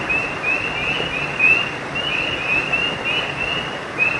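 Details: Frogs calling at night beside a creek: short, high chirps repeat in a loose, overlapping chorus, some notes sliding upward, over a steady hissing background.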